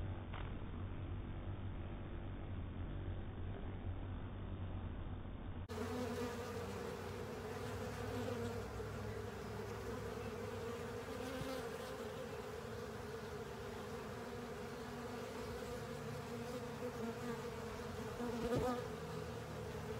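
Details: A honey filter being cleaned by honey bees and other insects: a muffled low rumble for the first few seconds, then a loud, sustained swarm buzz with a strong steady mid-pitched hum and overtones to the end.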